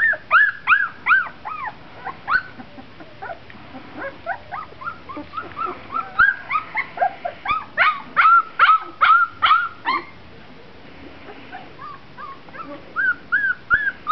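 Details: Four-week-old Golden Retriever puppies from one litter give high, arched whimpers and squeaky yips in quick overlapping bursts.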